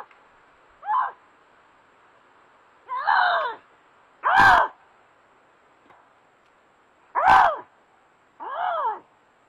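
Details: A Canada lynx, caught by a trail camera in a snowy forest in Maine, gives wavering, moaning yowls, some breaking into harsh screams, every couple of seconds, cries linked to breeding season.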